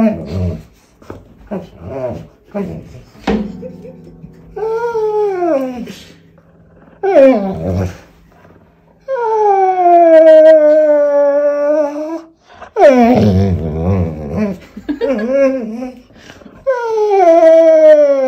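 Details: Pointer dog whining while wanting to play tug with his toy, complaining the toy is held too long; short grunts and growly bursts, then long sliding harmonic whines, some rising then falling, in an indoor room.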